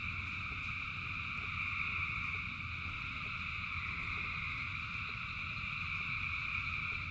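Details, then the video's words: Massed frogs calling during rain, their voices merged into a continuous shrill, layered hum, over a low, crackling rumble of falling rain, with no pause or change. "Frogs in Rain 2 Hours of Frogs, Thousands of Frogs Singing"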